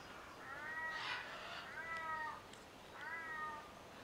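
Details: Ring-tailed lemurs on the lemur island at Opole Zoo, Poland: three drawn-out, harmonic mewing calls, each about half a second, slightly falling in pitch, spaced roughly a second apart over soft background noise.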